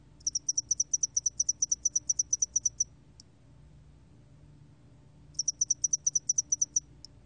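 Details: Spotted-wing hairy cricket from a 2020 Korean National Institute of Biological Resources recording: two bursts of roughly fifteen sharp, evenly spaced high-pitched pulses, each lasting about two and a half seconds, a lone click ending each burst, with quiet between.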